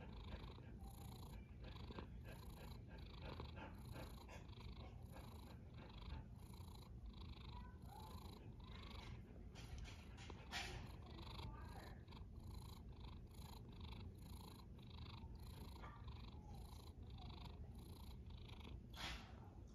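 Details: Quiet, unbroken low rumbling of a snoring cat over twenty seconds, with soft breathy hiss pulsing in a regular rhythm above it.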